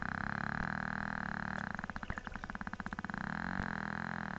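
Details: A Cook Inlet, Alaska beluga whale gives a rapid train of echolocation clicks forming a loud buzz, followed by a sharp chomp as it eats a fish.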